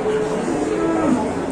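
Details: Cattle at a crowded Indonesian livestock market: one drawn-out, low moo that slides downward in pitch near its end. Crowd chatter and background music run underneath.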